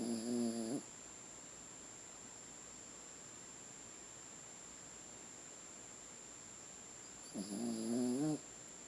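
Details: Bleeker, a pet Chiweenie dog, snoring: two nasal, harmonic, slightly wheezy snores, one at the start and one near the end, about seven seconds apart, with a steady low hiss and a constant high whine between them.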